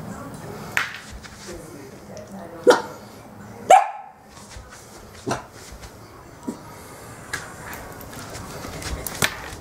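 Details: Shetland Sheepdog named Ricky, holding its leash in its mouth and following someone, wanting to be taken for a walk; short sharp barks at irregular intervals, one louder yelp near the middle, with faint indoor background noise.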